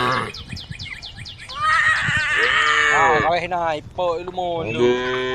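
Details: Tame female cows eating grass by a road; a mix of overlapping lowing calls, a long wavering moo in the middle and shorter rising moos near the end, with rapid chirping birds early on.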